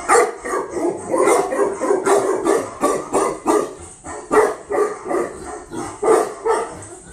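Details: A female Tibetan Mastiff, new import from Russia, barks almost continuously, steady repeated barks roughly every half second, some with a whining edge, while a handler speaks calming words.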